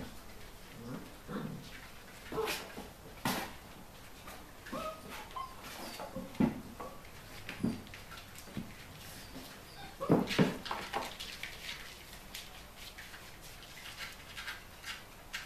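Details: Collie puppies eight weeks old, litter D of the Flörsbachtal kennel, indoors in a small room; brief high whimpers and yips break out irregularly, several quick bursts clustered around the middle, with soft rustling between.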